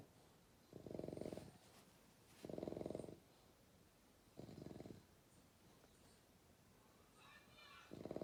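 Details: Baby bulldog snoring through the night: repeated raspy, rattling snores roughly every one and a half to two seconds, with faint soft noises between breaths.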